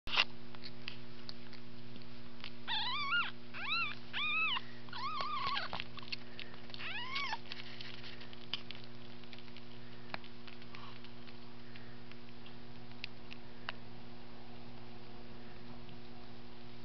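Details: Domestic cat mother with her two-day-old kittens; a burst of high, thin, arched mews comes in quick succession for about five seconds, then fades into quiet over a steady electrical hum with a few faint clicks.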